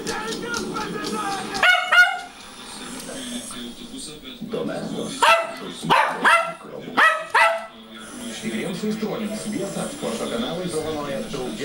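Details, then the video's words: Two Schnauzers singing bass and soprano: low background murmur and voices, then a burst of short rising howled notes near the middle, several clustered yowls, followed by continued background noise. "Two schnausers singing bass and soprano"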